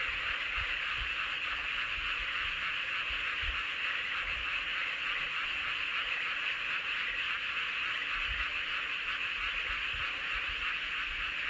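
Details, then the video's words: Full-moon frog chorus recorded in Seowon-myeon, Hoengseong, Gangwon Province, Korea: many overlapping callers form a continuous, faintly pulsing trill that never drops out, with scattered soft low knocks in the background. "보름달 아래 개구리들의 합창"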